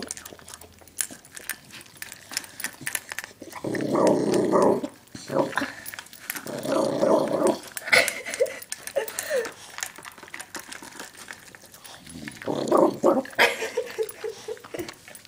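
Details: A female dog growling while she eats, indoors: three rough, rumbling growl bursts near four, seven and thirteen seconds, separated by chewing and clicking noises.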